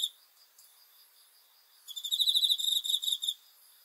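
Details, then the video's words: Nocturnal cricket chirping, sleep-aid sound: near quiet with faint distant insect buzz for almost two seconds, then one loud burst of quick high pulsed chirps for about a second and a half. "귀뚜라미 소리"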